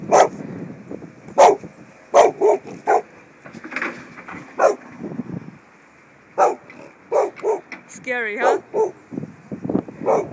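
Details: Hippo the Samoyed barking at a crane in action. Repeated sharp barks come in uneven bursts, mixed with a person's voice talking to the dog and a brief squeaky mechanical whine near the end.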